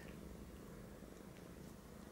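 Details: Purring from a British Shorthair kitten nuzzling a Siamese male for milk: continuous deep, even rumble without pauses, fairly close and loud.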